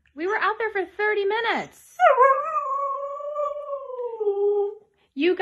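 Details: Siberian Husky, described as crazy and hyperactive, yodelling in short wavy rising-and-falling phrases, then one long steady howl that slowly drops in pitch for almost three seconds before the yodelling starts again.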